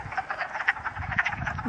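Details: Wood frogs calling at a vernal pool in West Hill Park, Uxbridge, Massachusetts, on a sunny early-spring day with snow lingering in shade; a dense chorus of rapid, hoarse, clucking croaks overlapping continuously.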